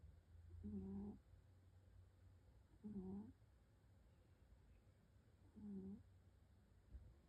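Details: Cat snoring while asleep: three low, rasping breaths with a humming buzz, spaced two to three seconds apart, over steady low background hum indoors.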